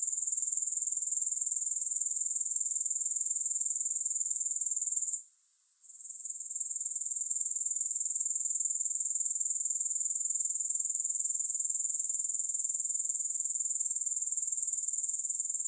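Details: Grasshoppers in a long no-music recording for sleep and relaxation: a steady, very high, shimmering insect trill that runs unbroken, briefly dipping and fading near five seconds before resuming at full strength. No other sounds.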